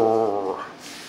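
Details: Sasha, a female Husky adopted the day before, indoors at her new home, gives one short, moaning, tonal vocal sound that falls and fades within about half a second while being spoken to.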